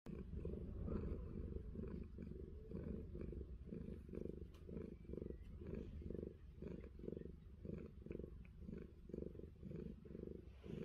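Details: Fluffy, a pet cat on an orchard in New Zealand, purring while having an ear scratched: a deep, continuous rumble that swells and fades in quick pulses, about two per second, with faint scratching clicks above.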